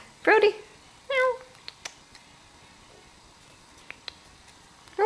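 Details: Five-month-old kittens at treat time indoors, one sneaking treats from a sleepy sibling: two short, mid-pitched meows in the first second and a half, then scattered clicks and taps, and another meow beginning at the very end.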